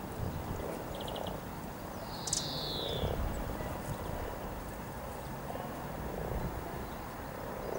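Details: Riverside frogs gathered in their hundreds to mate near Norwich's Cow Tower in April 2013 give a continuous low purring drone, with a single downward bird whistle and a brief chirp series early on.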